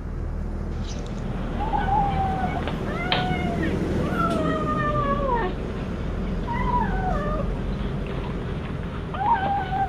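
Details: Hungry cat eating fish alone and not sharing with its mother, voicing a series of wavering meows, some rising then falling, spaced through ten seconds over a steady low rumble.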